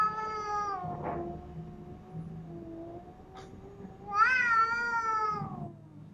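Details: Cats fighting after a white cat is brought into a new house: a long, drawn-out, wavering growling yowl is held throughout, then rises into a louder, higher, strained wail near the end, with brief scuffling noises.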